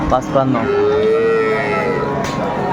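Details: Dairy cow at Aftabganj cattle market in Dinajpur, a single steady low moo lasting about a second, preceded by short human voices and surrounded by market chatter.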